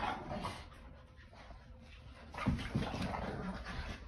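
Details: Boston Terrier and Keeshond tugging at a toy together indoors; a dense, low, rumbling growl runs throughout, swelling louder in the second half with rough, throaty pulses.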